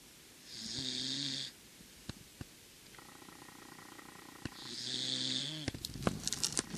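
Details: Sleeping Corgi snores indoors: two long, rasping, buzzy breaths about four seconds apart, quiet between them, with faint clicks and rustling.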